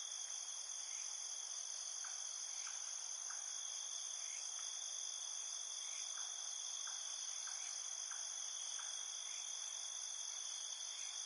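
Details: Chorus of night insects outdoors: continuous high ringing trill in stacked bands, plus quieter clipped chirps repeating in loose series of several notes. No music.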